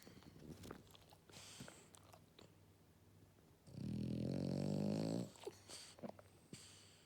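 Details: Eleven-year-old female French Bulldog named Matsuri napping after a walk, giving one long buzzy rattling snore of about a second and a half between soft breathing and faint rustles.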